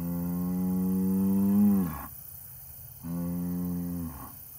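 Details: An Angus bull gives a long sustained moo that bends downward and fades near two seconds, followed after a short gap by a second steady low moo, harmonics clearly layered.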